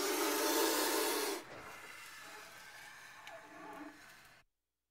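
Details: Indian cobra hissing: a loud, breathy, broadband hiss lasting about one and a half seconds, then a much quieter stretch with faint rustling before silence.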